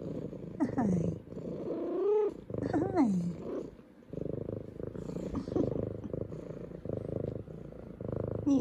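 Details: F2 Savannah cat, female, greeting her returning owners indoors: loud drawn-out falling meows, three in quick succession, then continuous pulsing purring as a woman talks to her.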